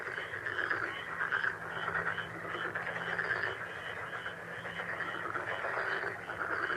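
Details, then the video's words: Frogs calling together in a dense, steady chorus of rapid pulsing croaks that overlap without a break, with a faint regular ticking above and a low steady hum underneath. "행운 개구리소리 The sound of a lucky frog"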